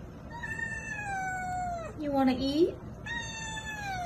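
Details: Domestic cats meowing indoors before lunch while the owner prepares their food; long, drawn-out meows that slide slowly downward, with a brief, higher wavering cry in the middle and a woman's voice nearby.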